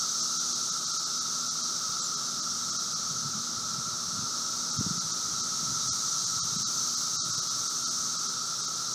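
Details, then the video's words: Brood V seventeen-year Magicicada periodical cicadas in late spring emergence, outside a residence in Logan, Ohio, 4 June 2016, 3:10 p.m.: steady, even high droning roar with a lower steady hum band, faint low rumbling in the middle. "Audio: Brood V 17 year Magicicada periodical cicadas in Logan, Ohio"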